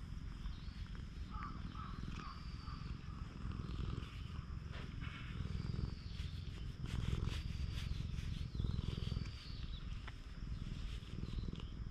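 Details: Stray cat on a cat island purring steadily while its body is stroked, filmed on a GoPro HERO8; low, rapid rumbling pulses throughout, with faint thin high whistles and soft rustling handling noise above.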